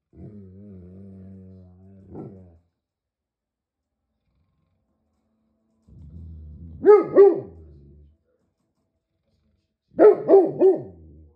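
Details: Great Pyrenees giant dog growls low and steadily for about two seconds, then after a pause breaks into two rumbling barks and finally a tight volley of three or four loud barks.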